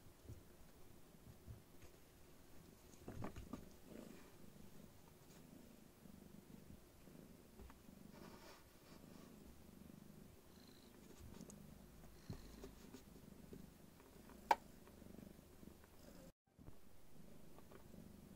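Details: Somali kittens, two playing together while a third sleeps, recorded on 5 March 2019; a soft, steady low purring rumble runs throughout, with scattered light knocks and rustles from play.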